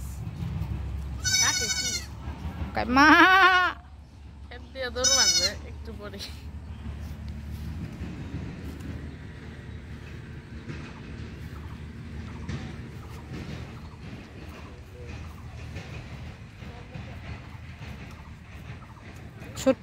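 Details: Goat said to sound like a person speaking bleats three times early on, quavering and harmonic-rich, followed by a long stretch of quiet background with faint voices.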